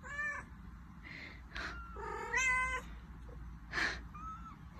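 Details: Pet cat, a mother who has brought her kitten to the household, gives a run of about five harmonic meows in under five seconds, some wavering and falling, one sharper and broken, with a faint low background hum.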